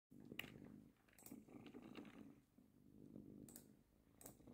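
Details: A female domestic cat purrs on her owner's lap as the owner works: a steady, low rumbling purr with a gently pulsing rhythm throughout, broken by a few faint clicks in a small quiet room.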